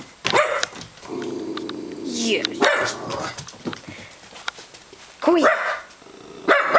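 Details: A pet dog reacting to a doorbell played on a computer, barking in loud bursts with growly, rough tones, while a person excitedly asks who is at the door.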